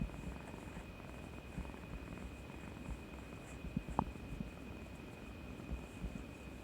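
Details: Domestic cat Kuri-chan seeking affection after bravely getting a vaccination shot, 18 March 2020; low, continuous rumbling purr heard close up, with a faint steady high electronic tone and a brief soft knock near the middle.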